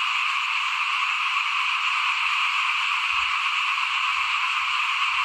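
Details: Chorus of frogs outside a house at rice-broadcasting time in 2021, many voices merged into one continuous shrill drone that holds steady in loudness, with faint low thumps underneath.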